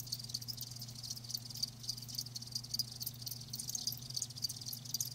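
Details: Live crickets chirping in a continuous high band, many overlapping pulsed trills with brief louder clicks, over a steady low hum.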